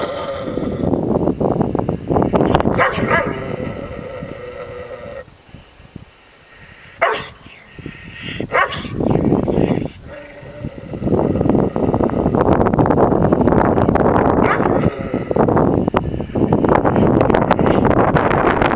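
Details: Dog guarding a deer carcass it will not share; loud bursts of rough growling and barking come in clusters, broken by short quiet gaps and scuffling noise.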